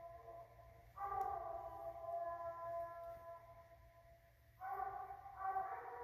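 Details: Redbone Coonhounds Beast Mode and Tater Tot tracking and treeing a raccoon, 9 November 2019. A sustained, mellow howling bawl lasts about three seconds and fades, then after a pause two shorter bawls follow in quick succession.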